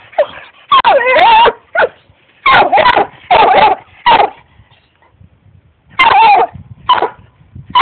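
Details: Pet dog Barkley barking at the cat in clustered volleys of strained, howl-tinged barks, pitch swooping down then up, with a silent stretch midway before two more barks and a soft rustle.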